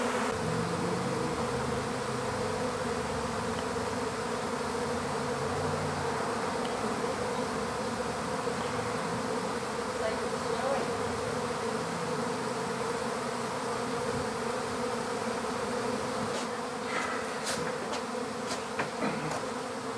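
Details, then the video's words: Honeybee swarm being captured into an empty hive; a steady, dense droning hum holds throughout, with a few sharp clicks and knocks near the end. "How to Capture a Honeybee Swarm"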